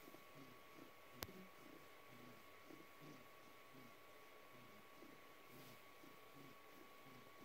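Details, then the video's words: Rescue cat Noah gives his snore-like purr while wanting a belly rub, recorded March 2020. Low rhythmic pulses rise and fall steadily, with a single sharp click near the start and a constant faint hum indoors. "Cat's Purr Sounds Like Snoring"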